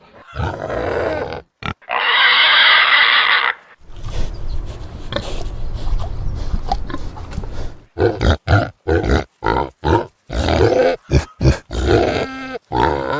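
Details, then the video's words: Pigsty pig: short grunts, then a long, loud, raspy squeal, a rumbling low grunting stretch, and finally a rapid, choppy series of clipped grunts and squeaks in quick bursts. "SOM DE PORCO, Som de Porquinho, Barulho de Porco, chiqueiro | pig sound"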